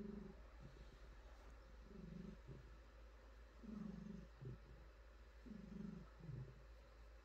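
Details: Pet cat, a female, purring contentedly as she is petted and stretches: regular low vibrating rumbles of about a second each, repeating every two seconds, with light clicks and fur-stroking sounds between.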